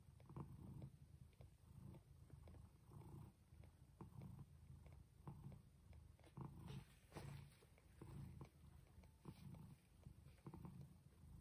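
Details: Jaco, a domestic cat who arrived at the house already pregnant, gives birth indoors to kittens of different colors. Low, rumbling purr-like pulses repeat about every second, with faint clicks and handling noises over a quiet room.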